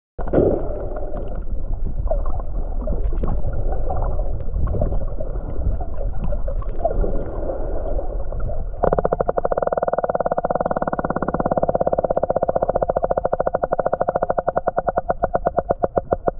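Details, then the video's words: Sperm whale echolocating underwater; a low, bubbly gurgling wash fills the first half, then a rapid, regular train of sharp clicks begins and keeps ticking steadily to the end. "Whale using echolocation"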